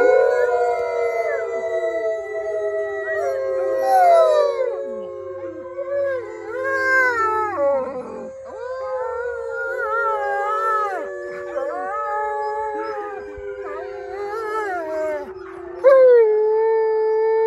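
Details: Several wolfdogs at Howling Woods Farm in New Jersey howl together after a guide leads a group howl. Overlapping long wailing tones slide up and down, some dipping sharply, in a layered chorus that swells and fades throughout.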